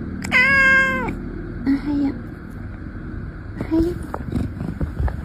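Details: Cat featured in a funny cat reactions compilation, letting out one loud, flat, drawn meow at the start, then softer mixed noises and faint voices in a room.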